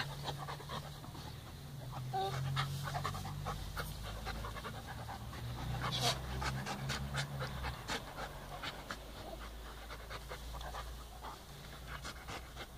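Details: Puppies Balu and Diesel, brothers, playing kindly with each other: dense rapid panting bursts and scuffling breaths crowd the first half, thinning toward the end, with a constant low mechanical hum underneath.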